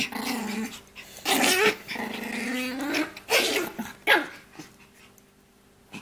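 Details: A Shih Poo, a shih tzu and mini poodle cross, growls in long, rough, droning stretches, two sustained rumbles in the first three seconds, then shorter harsh bursts that fade into quiet.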